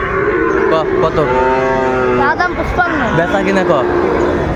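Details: Sahiwal bull calves at Ambari cattle market in Dinajpur on 27 May 2024: a long, drawn, low moo rising and falling over about two seconds, then shorter lowing calls, under steady crowd chatter and market bustle.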